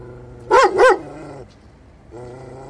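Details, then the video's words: A cute Kangal Shepherd Dog gives two quick, deep barks in close succession, followed by a low, steady hum in the background. "Kangal Sevimli köpek"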